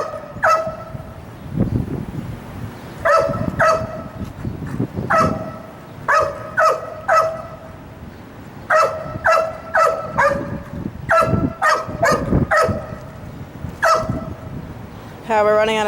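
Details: Wildlife detection dog candidate Sirius, waiting at a fence during evaluation, barks repeatedly in clustered bursts, with a longer wavering whine-like vocalisation at the end and faint low background noise.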